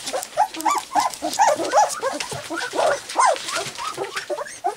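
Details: Several three-week-old white English cream golden retriever puppies playing and practising barking, giving rapid squeaky yips and rising-falling whines about three per second, busy overlapping chatter over soft background hiss.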